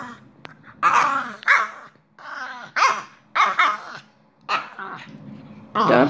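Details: A female French Bulldog having a mad five minutes of rowdy play, mouthing her owner, lets out grumbling, yodel-like barks and whines in short bursts.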